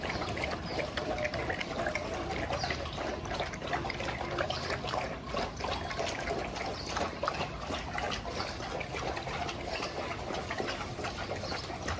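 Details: At a dog training school in Jodhpur, a constant broadband rushing like running or pouring water fills the whole stretch, with no barking or other animal voice showing.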